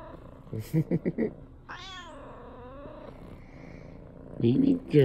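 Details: Female tabby cat gazing at its owner and meowing; a few short soft sounds early, then one drawn-out wavering meow that falls in pitch, followed by brief louder calls at the end.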